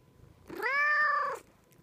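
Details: Domestic cat at home letting out a loud, clear meow of nearly a second, scooping up in pitch at the onset, sustaining a full steady tone, then curling downward at the close.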